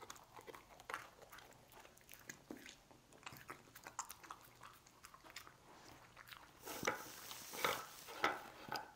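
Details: Lucy the dog eating cookies indoors in a small room: irregular dry crunches and bites, quiet at first, then louder, sharper bursts of crunching toward the end.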